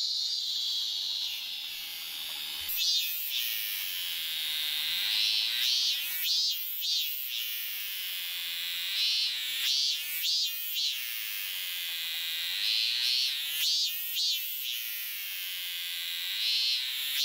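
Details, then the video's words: Cicada singing up close at a Meiji-era wooden inn garden, 7 August 2020, getting agitated as a person approaches; steady high hissing buzz with louder pulsing surges repeated about every second. "その本人はどこにいんのかな?あ、いた、いた。泣いてる、泣いてる。"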